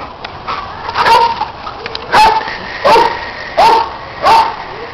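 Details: Playtime for dogs Orphy and Sandy chasing a red Kong toy, Peg supervising and neighbour dog Riley contributing; five loud ringing barks, each with a falling-then-level tone, spaced under a second apart.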